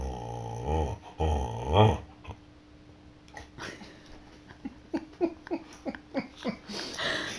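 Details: Siberian Huskies playing indoors: a loud, harmonic growl-like vocalization rises and falls over the first two seconds. After a quiet stretch, a rapid series of short pulsed grunts or breaths follows, roughly every third of a second.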